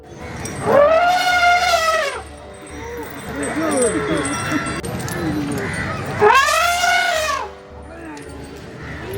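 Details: A female Asian elephant in Kerala gives two loud, brassy trumpets that rise and fall, calling out in joy at seeing fellow elephants.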